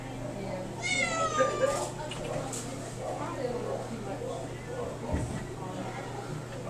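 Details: Domestic shorthair Cali, an adoption cat, gives a single high meow that slides downward near the start, followed by quiet room hum, a light knock and faint human speech.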